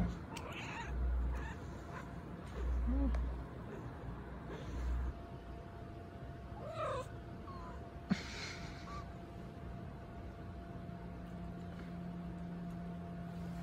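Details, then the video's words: Cute waking noises from a domestic cat after sleeping: a few short, soft chirps and squeaks, with low thumping rustles early on and a steady hum throughout. "Cat Makes Cute Noises When They Wake Up After Sleeping"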